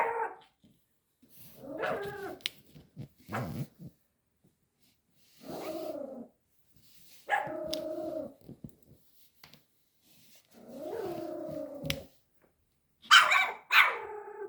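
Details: Five-month-old Pomeranian puppy Ponki, frightened of a tiger toy, lets out a string of short yappy barks and whines in separate bursts every second or two, some sliding downward, with quiet gaps and faint voices between.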